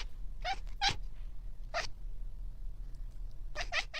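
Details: Domestic cat giving a handful of short, clipped meows, each a quick tonal burst, with two close together near the start, a single one mid-way and a final pair at the end, over a low steady background hum.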